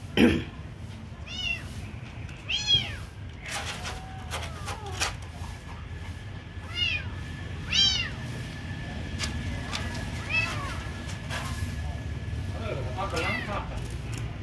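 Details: Kitten being given food, mewing in short high arched calls every few seconds, some thin and rising-falling, over a low steady hum with faint voices and clicks.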